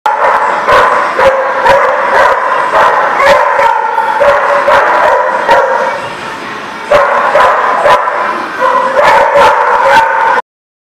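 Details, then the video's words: Dogs at a place called the Barking Lot, recorded 26 July 2019, barking continuously in loud, overlapping bursts with sharp, rapid yaps layered over a dense chorus, briefly easing near seven seconds before resuming. "The Barking Lot"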